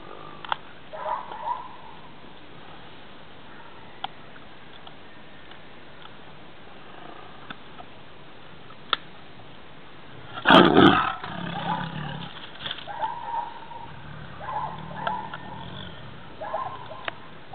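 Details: Gita, a tigress, lets out one sudden, loud, harsh snarl about two-thirds of the way through. Rougher, lower grumbling sounds and a few short nasal calls follow, after a long, mostly quiet stretch with faint clicks.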